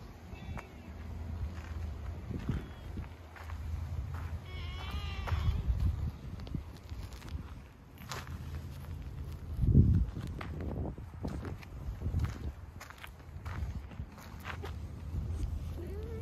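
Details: Calico community cat meowing as it comes toward a person who has appeared; one short wavering meow midway, with low rumbling background noise and scattered footsteps or handling sounds.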